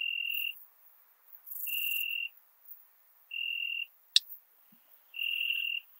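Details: Ringed bush-cricket (Rhacocleis annulata) singing at Biedermannsdorf, Austria, on 8 August 2022: four even, tonal half-second bursts spaced about every 1.6 seconds, plus one sharp click between them.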